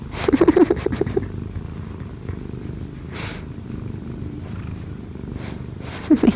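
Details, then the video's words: Kkobugi, a one-year-four-month-old odd-eyed Munchkin cat, purrs softly while kneading on its owner. A quiet, low purr continues underneath, broken by short warbling vocal bursts at the start and end and a few breathy rustles. "엄마 위에서 꾹꾹이 골골이 하는 꼬부기"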